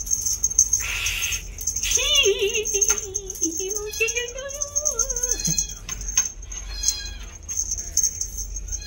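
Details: A 2-month-old female bi-lilac Scottish Fold kitten gives a long, wavering meow that slowly rises before breaking off.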